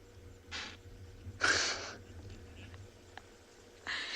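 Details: At sunset on a safari on 4 July 2020, two angry male impala give sharp, explosive alarm snorts after noticing Ribbon nearby; impala alarm-call for hyenas, a frequent, intense snort.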